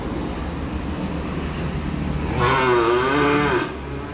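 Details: After a stretch of low rumbling background, a young calf fresh off a truck lets out one loud, wavering moo lasting just over a second that dips and lifts in pitch before cutting off.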